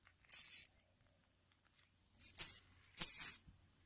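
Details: Bear cicada from a Kansai park in Japan, where males sing from trees and give distress calls when caught; three short, very high, rasping bursts, the last two close together, with near silence between.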